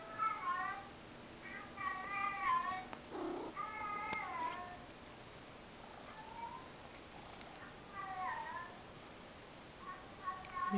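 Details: Church the house cat, lured by a played clip of Tiggy the cat, in an indoor room: repeated bright meows with wavering pitch, some longer and drawn out, with a low murmur and small knocks between them.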